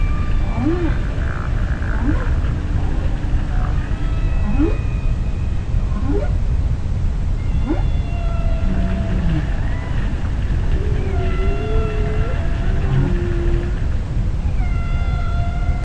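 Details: Humpback whale song recorded underwater: a long varied sequence of rising whoops, wavering harmonic moans and short swooping tones, units following every few seconds, over continuous low ocean rumble.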